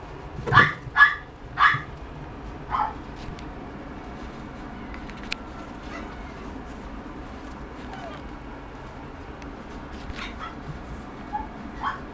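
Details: A toy poodle puppy gives three quick, high-pitched yips near the start, then softer whimpers and scattered faint noises over a low background hum.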